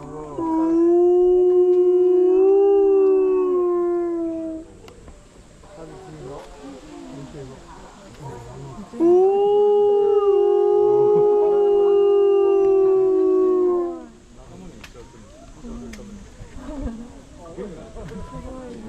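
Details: A gray wolf (Canis lupus) at Asahiyama Zoo, Asahikawa, Hokkaido, Japan gives two long, steady howls. Each holds a low pitch before sliding gently down.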